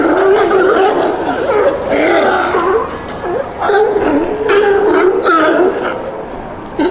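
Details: A colony of sea lions at Pier 39, San Francisco, in the evening. Their hoarse, gargling barks overlap in a steady, raucous din.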